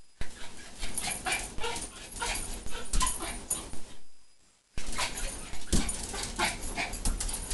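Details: Ginny, a pet Pomeranian, jumping around at food time, gives short, sharp yips and whimpers in quick bursts, broken by a brief silent gap. Scrabbling, thumping noise runs throughout.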